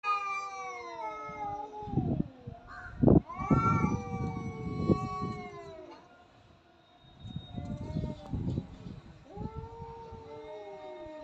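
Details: Cats fighting: long, drawn-out wailing yowls with rich harmonics that rise and fall, a sharp loud burst near three seconds, then a pause before lower, wavering growl-like yowls resume.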